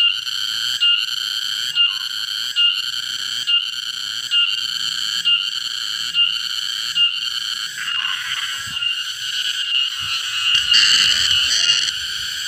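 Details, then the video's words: Loud cicada singing in a garden while being caught. It gives a steady, shrill, buzzing drone, broken by brief regular gaps under a second apart, with faint rustling and handling noises toward the end. "tonggeret suara nyaring"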